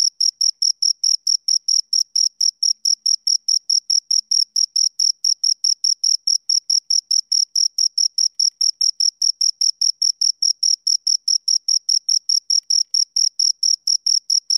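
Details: A pair of crickets stridulating: high, pure chirps in a long, unbroken rhythmic series of about four per second, with a quiet background.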